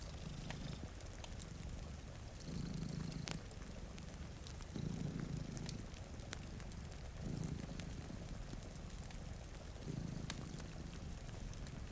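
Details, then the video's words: Two cats sleeping in front of a rainy window beside a cozy fire, purring: a low rumbling purr swelling and fading in cycles roughly every two and a half seconds, over sharp fireplace crackles and a steady hiss of rain. "Purring Cat"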